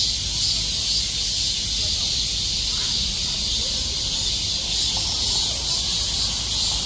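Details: Numerous cicadas clinging together like bees in summer, all calling; a dense, high, rasping drone runs steadily, gently rising and falling in strength, with faint low murmurs underneath.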